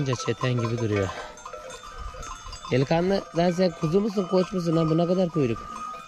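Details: Separated lambs bleat for their absent mothers, voicing harsh, trembling, drawn-out cries in quick succession, a short lull after the opening calls, then a run of repeated wavering bleats.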